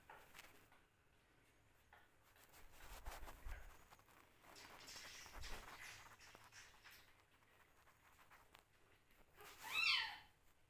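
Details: Several hungry kittens compete for a milk bottle indoors. Scuffling and sucking noises run throughout with faint mews, ending in one loud, strained meow that rises and falls near the close.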